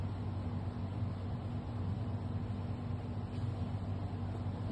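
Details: Steady low rumble of traffic and wind noise, with no animal voice.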